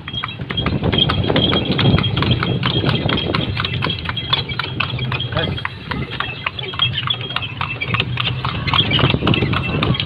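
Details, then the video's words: A horse carrying a small child: quick, uneven hoof clops, roughly four per second, run throughout. People talk nearby over a steady background hum. "Anak kecil naik kuda"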